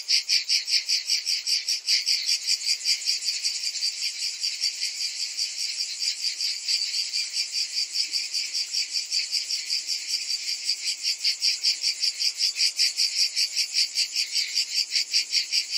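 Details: Cicadas in summer: a dense, high buzzing chorus that pulses steadily about two or three times a second without a break, with no other clear sounds.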